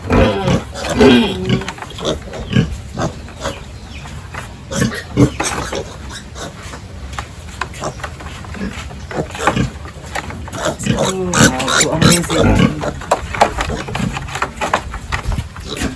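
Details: Pigs on a village farm during the morning feeding and pen cleaning routine, giving short scattered grunts and snorts among clattering bursts of farm work noise.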